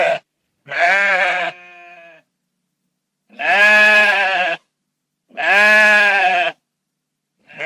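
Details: Repeated sheep bleats from a farm setting, each a strong quavering harmonic cry about a second long, coming roughly every two seconds, one trailing into a thinner fading tone.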